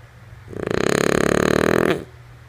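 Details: Lulu, a female French Bulldog, snores in her sleep: a single rattling, fluttering breath of about one and a half seconds that swells and then cuts off, over a faint steady low hum.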